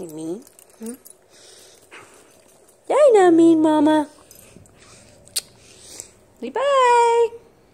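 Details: Husky indoors at home, excited and playful, giving long wavering howl-like yowls that rise then fall and sustain, three bursts with short whine-like notes between, while a person talks nearby in a small room.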